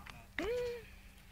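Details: Baby monkey with its mother, others arriving: a single smooth tonal whine that sweeps up then holds steady for about half a second before fading, with soft overtones, a brief faint click just before it and low background hum.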